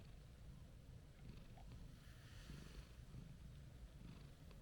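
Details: Orange-and-white stray cat, gentle and calm, purring as it is stroked; a continuous low, throbbing rumble with soft rustling and light outdoor background hiss.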